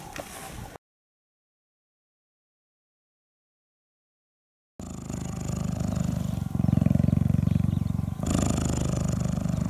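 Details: Hand-raised female African cheetah at a rescue center in 2015, purring while grooming a volunteer's neck and scalp; after a brief silent gap, a steady low rumbling purr of rapid pulses sets in, with a slight break midway.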